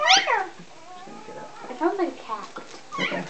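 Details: A newborn male Rhodesian Ridgeback puppy, just delivered during whelping and having its nose cleared, gives a high, thin, falling cry much like a cat's mew.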